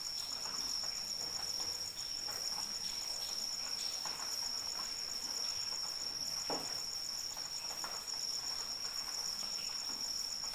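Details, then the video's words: Steady rainfall hisses under a sustained, piercing cricket trill that never varies in pitch. One distinct heavier drip falls midway. "Suara Hujan dan Jangkrik Pengantar Tidur"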